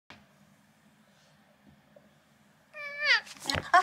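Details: Large long-haired silver mackerel tabby cat, angry indoors while big mats are removed from the fur on its bottom, gives one harsh, harmonic meow that falls in pitch, followed by scuffling and rustling after a quiet start.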